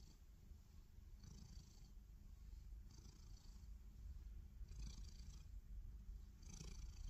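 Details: Low, buzzing purr of a black cat lying on its back, growing slightly louder, with breathy accents about every one and a half to two seconds.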